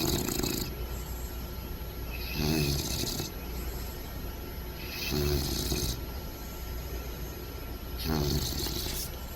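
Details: Sleeping bulldog puppy Bentley lying upside down, comfy, snoring deeply: regular rasping snores with a snorting tone recur roughly every two and a half to three seconds, with low steady background hum.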